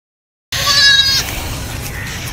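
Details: A baby goat at play lets out one short, loud, quavering bleat lasting under a second, followed by faint background noise.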